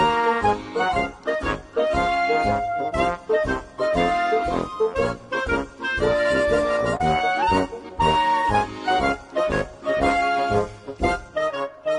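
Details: Bouncy accordion and brass comedy music fills the whole stretch, with no animal calls heard.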